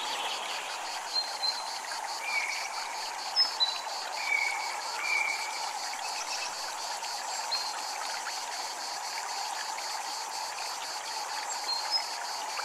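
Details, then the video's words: Cicadas at a Japanese temple: a high, steady pulsed buzz beating in quick, even rows throughout, laid over a constant rushing wash like running water, with a few brief whistled bird notes. "Japanese Temple Ambient Sound | Water, Chimes, Cicadas"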